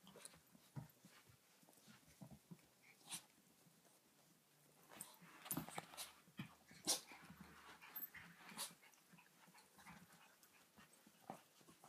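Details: Seven-week-old Yorkshire Terrier puppies give soft whimpers and quick panting breaths amid small scuffling noises.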